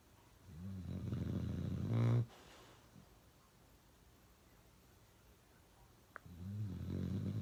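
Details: Uno, a pet dog, snoring really loud in a room: a long rumbling snore ending sharply, a lengthy quiet pause with a tiny click, then another deep buzzing snore starting.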